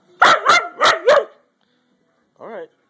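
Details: Zash, a dog asking for food, gives four quick loud barks in a row within about a second, then falls quiet, ending with one short whining yelp.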